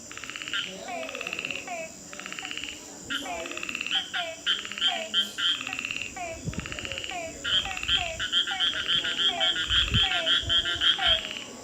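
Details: At night in Nagarhole National Park, Karnataka, several frogs croak together in quick, raspy bursts that overlap into a steady chorus; thin, high beeping notes of unknown source repeat through the second half, with a faint background hiss.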